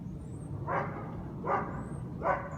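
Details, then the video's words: Guard dogs at the American Taxi premises on Conti St, New Orleans, recorded 21 February 2017 as a noise complaint; three sharp barks about 0.8 seconds apart over a steady low rumble of city traffic. "New Orleans Guard Dogs Noise Violation"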